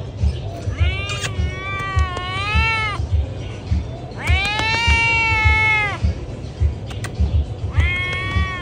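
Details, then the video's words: Pregnant cat meowing loudly: three long, drawn-out harmonic meows, each rising slightly then falling, the middle one strongest, over a steady low background rumble. "PREGNANT CATS MEOWING LOUD"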